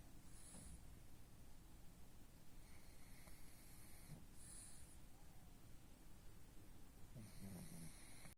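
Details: The pug king, a sleeping pug, gives wheezy, whistling snores in short bursts every second or two, each breath a thin nasal rasp, with quiet lulls between them.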